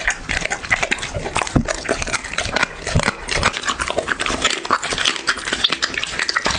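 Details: Chewing dog in an ASMR eating recording: quick crackling bites and lip smacks packed close together, with a few heavier crunches between softer wet sounds.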